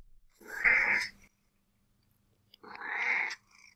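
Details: A domestic cat gives two hoarse, low quacking calls, each about a second long; the quack is a meow subtype used to ask for attention, hoarser and lower-pitched than the squeak.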